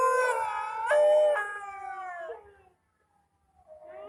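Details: Indian dog, or kutta, crying with a loud sliding howl that swells and then falls away, silence for about a second, then a softer rising wail.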